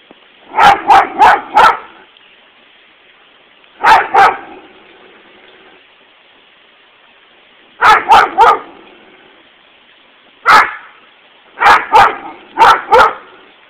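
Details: Toby the dog barking nonstop at a lawnmower: sharp, loud barks in quick clusters of two to four, separated by pauses of one to three seconds, over a faint steady mechanical hum.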